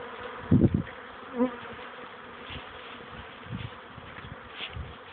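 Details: Honey bees on orientation flights near a hive, mid-afternoon in May after chilly wet days; steady hum broken by loud close buzzing passes, one strong burst early, then fainter fly-bys.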